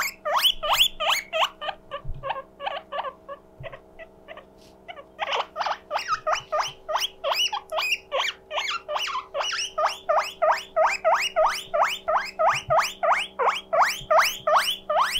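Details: Pet guinea pig wheeking loudly when lonely, a siren-like call: after a few scattered squeaks and a pause, rapid rising whistled wheeks repeat about three per second, steady and loud, with a faint hum beneath.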